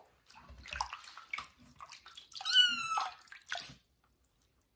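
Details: Loud drawn-out meow from kitten Johnny at its first bath indoors, rising then holding steady, rising out of a steady wash of running and splashing water with bumps and drips.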